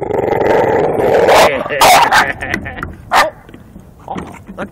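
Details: Bulldog attacking the wheels of a garbage can as it is moved, giving loud rough growling barks in bursts with harsh broadband noise, a person talking to it over the top.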